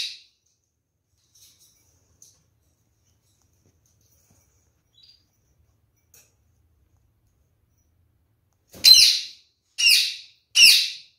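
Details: Pet kakariki, one of a caged pair: long near-silence with faint ticks, then three loud rasping squawks about a second apart near the end.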